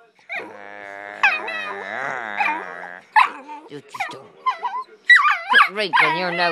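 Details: Pit bull puppy talking back to its owner: a long drawn-out whine-howl held for about two seconds, then choppy yelps and wavering, rising-and-falling whimpers, interleaved with the owner's speech.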